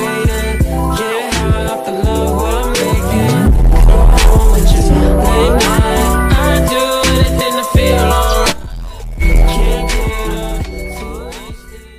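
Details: Loud rhythmic pop music with a steady beat, bass and sung vocals fills the recording, with no animal voices heard.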